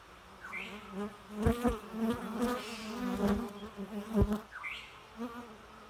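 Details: Low droning buzz of bees rising and falling over a few seconds, with harmonic overtones, short upward whines and sharp tapping clicks amid a soft natural background.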